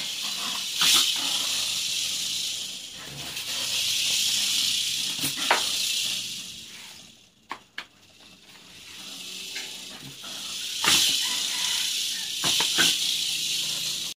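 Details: Attacking Malayan porcupine, its coarse hissing rush surging in waves with short sharp snaps, and a near-silent gap partway through before the hiss resumes.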